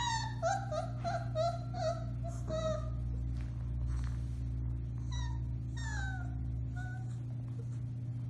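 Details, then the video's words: Four-week-old Alaskan Malamute puppies from the Bema & Cole litter, recorded March 30, 2021, howling: several short, high, whiny cries that rise and fall in pitch, overlapping at times, over a steady low hum. "Puppy Howling, 4-weeks old"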